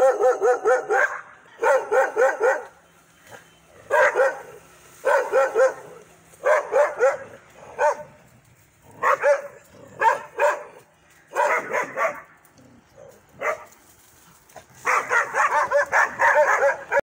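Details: Dogs barking aggressively: bursts of rapid, sharp barks in clusters of three to five, with short pauses between bursts throughout.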